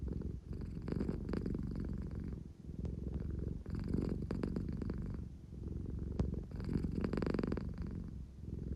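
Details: Engine-like purr from Claire, a pet American Shorthair, drowsy yet craving attention; rhythmic low vibration pulsing through repeated breaths about every two seconds, brief faint taps between, recorded in a calm room.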